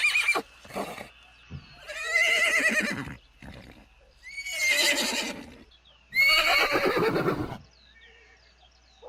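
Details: Horses neighing in a herd, three loud quavering whinnies each about a second long, descending and shaky, with short thuds and clicks in the gaps.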